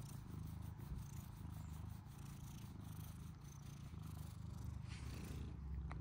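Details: British Shorthair male kitten purring as his chin is scratched; a close, even, low vibrating rumble that continues without pause, with a faint rub near the end.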